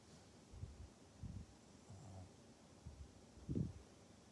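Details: Pug named Maria in Japan, recorded 14 November 2020: low, rough snorts and snuffling grunts in short bursts about every second, the loudest near the end, over a quiet background.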